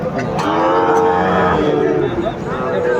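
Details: Brief cattle moo about a second long, rich and droning, at a bustling Bangladeshi cattle market in Cumilla on 12 February 2025, where Sahiwal bulls are sold. A man speaks and market noise continues throughout.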